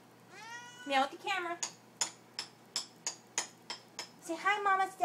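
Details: Cats asking for food in a small room: two descending meows, then a run of regular sharp clicks about three per second, ending in a louder overlapping meow amid a woman's chatter.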